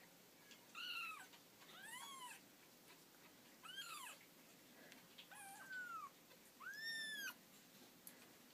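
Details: Several kittens curled together in a tangled heap calling in turn: five or six thin, high arched mews, each rising then falling, spaced about a second apart over a quiet indoor background.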